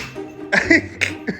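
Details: A dog gives a few quick, breathy sneezes in a small room while its owner repeatedly commands it to "speak".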